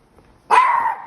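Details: Indoor female dog barking at a trainer who follows her during an exercise on protective barking. A single loud, drawn-out bark arrives after half a second of near silence and fades slowly.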